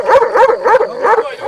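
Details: Tornjak dog barking in a rapid series of about five short, harmonic, yelping barks in a second and a half, each bark bright and mid-pitched, with a faint steady tone behind them.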